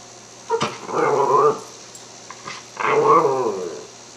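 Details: A Cairn Terrier smelling lamb chops before dinner makes drawn-out, moaning, talk-like vocalizations in two wavering bursts, apparently asking for food. Finding: Cairn Terrier.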